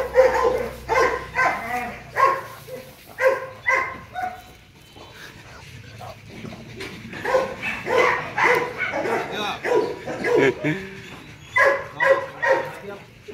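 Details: Male Rottweiler Loki, born December 2016 and kept at Gervi Kennel, barks in irregular bursts of two to four, with a softer lull midway before the rhythmic barking picks up again.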